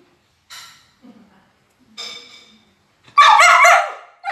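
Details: Talkative Border Collie at a food review over her favourite chicken: a few faint, brief sounds, then one loud, drawn-out bark-howl near the end.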